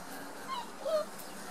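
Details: Six-week-old Border Collie puppies from parents Hada and Wind play together; a brief thin tonal whimper sounds, then a second slightly lower, clearer whine, over a soft hiss of background noise.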